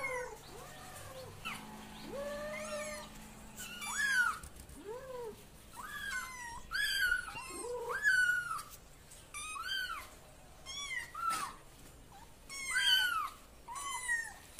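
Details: Mixed cat voices indoors, with lower drawn-out meows interleaved with thin, high-pitched kitten calls that bend upward and down. The calls come in a steady stream of about one to two per second, with faint background hum.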